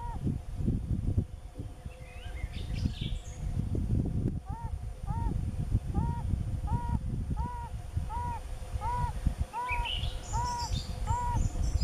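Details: Yellow-bellied toads in mating season give soft, hollow, arched notes, each a short rise and fall, repeated about every 0.6 seconds for around eleven calls. High bird chirps drift in and out above a steady low outdoor rumble.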